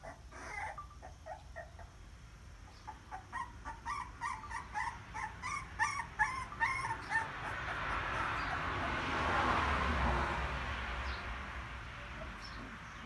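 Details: Crying puppies give short, thin whimpering yips in quick succession, clustered in the middle, then fading into a broad hiss of background noise.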